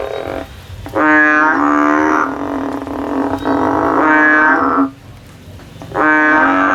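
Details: A frog climbing a tree looking for a way out gives a long, reedy, drawn-out drone of about four seconds. After a pause, the frog begins a second call.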